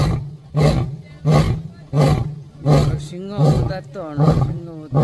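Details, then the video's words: Angry lion at Sepahijala Wildlife Sanctuary, Tripura, giving a series of deep, booming grunting roars, one every ~0.7 seconds, with people talking over the later pulses. "Terrifying ROAR from a very Angry🦁🦁🦁 LION"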